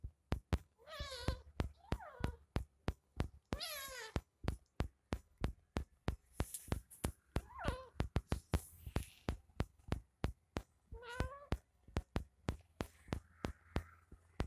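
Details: A kitten meows several times, short rising-then-falling harmonic meows spaced a few seconds apart, over a steady, fast, rhythmic clicking or tapping that runs through the whole recording.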